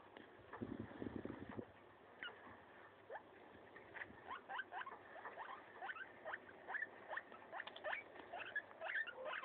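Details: Pet guinea pig eating a leaf: dry crunching and rapid clicking bites, sparse at first and then in quick irregular bursts, with a short low rustle near the start.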